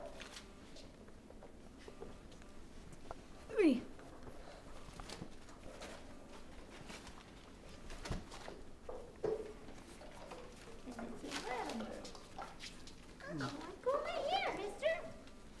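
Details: Mastiff pups, five weeks old, whimpering in thin, wavering whines that rise and fall, scattered through the stretch and clustered near the end, with quiet human voices and soft patter around them.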